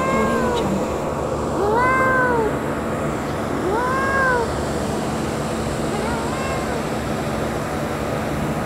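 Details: Outdoors in nature, a little kitten mews softly in arched, slightly wavering calls spaced a second or two apart, partly buried under constant hiss and low background noise.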